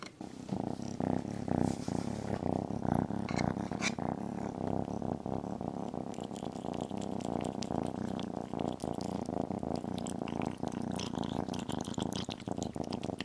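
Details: Tiny kitten eating chicken and beef gives a steady low rumbling purr throughout, overlaid with constant wet chewing and crunching clicks.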